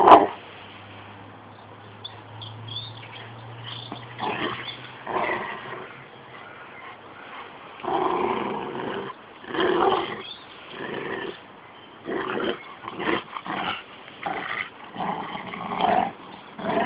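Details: A 13-month-old Rottweiler and a 6-month-old Jack Russell cross playing together; after a low steady hum, irregular short growls and scuffling noises come in quick, uneven bursts.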